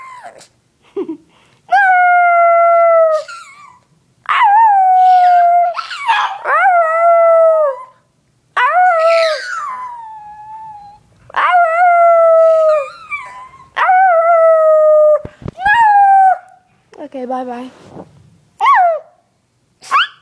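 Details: Pet dog Onyx gives a run of loud drawn-out howls, each starting high and sliding gently downward, interspersed with brief yips and whines, about seven howls across the stretch.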